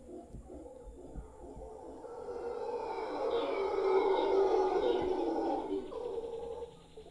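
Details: Large troop of wild howler monkeys in a tree in front of a property in Guanacaste, giving a swelling, roaring chorus that builds over several seconds, peaks mid-clip and fades toward the end.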